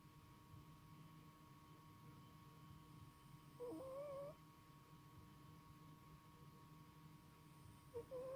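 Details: Snoring from a sleeping male cat: long quiet stretches of breathing hum, broken by one wavering whistled note of under a second, then the start of another at the very end.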